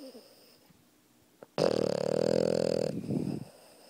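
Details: A sleeping puppy lying on top of its owner snores loudly. After a quiet stretch comes one long, droning, nasal snore lasting over a second, then a shorter rough, breathy snort.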